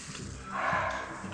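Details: A barking deer in moist deciduous forest at Dhikala, Corbett, India, gives a short, harsh, dog-like call after crossing the track during a safari while a tiger's calls were being checked; faint voices nearby.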